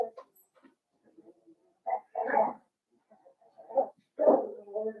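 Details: Young blenheim Cavalier King Charles Spaniel puppies, five littermates born at New Year's, in an indoor puppy pen. Short, moderately loud yelps come in small clusters about two seconds apart, with quieter whimpering sounds between them.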